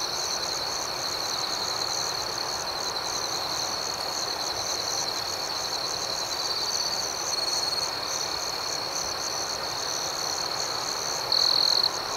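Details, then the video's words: Night-time cricket chorus outdoors, rhythmic and gentle: an unbroken high-pitched trill holds steady, fast pulses shimmer above it, and one brief louder burst comes near the end. "Soothing Cricket Sounds"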